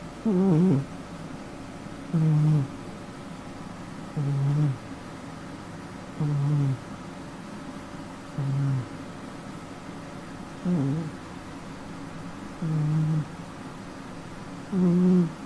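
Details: A domestic cat snores while asleep indoors, giving short low buzzy rasps about every two seconds, steady and rhythmic, with a few longer breaths that sweep slightly upward; room quiet otherwise.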